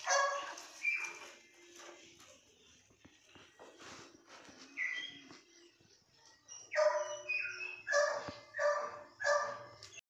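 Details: Young female Labrador puppy gives a few yelps, falls mostly quiet for several seconds, then breaks into a quick run of four or five loud, high whining yelps toward the end; small birds chirp faintly behind.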